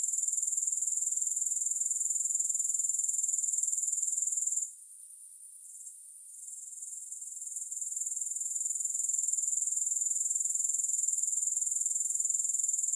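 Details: A shrill, high grasshopper chorus with no music, finely pulsing. It cuts out sharply near the five-second mark, stays faint for about three seconds, then gradually rebuilds to a steady trill.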